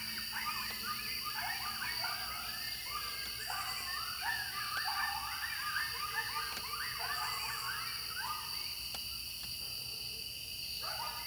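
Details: Coyotes within throwing distance near home in Wilkes County, North Carolina: a group chorus of overlapping wavering howls and yips, many voices sliding up and down at once over steady insect drone in the background.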